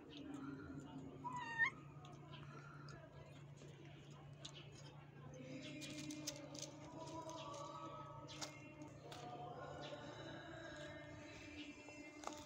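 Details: A mother cat, who moved her kittens three times before settling here, calls them with drawn-out, tonal meows while a person feeds them and talks nearby.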